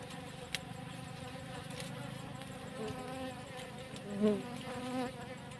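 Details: Steady droning hum of honey bees by a cassava field as their comb is taken, with a wavering pitch and brief louder surges near the end, plus a sharp tap at the start.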